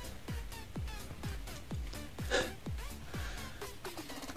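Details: Quiet electronic music of falling synth drum hits about twice a second, with a brief brighter burst midway and no animal voice.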